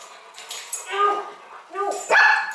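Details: An eight-week-old Oorang (Mountain) Airedale Terrier puppy gives his first barks, two high, thin yips, on his first night meeting a seven-year-old Airedale, while people talk nearby.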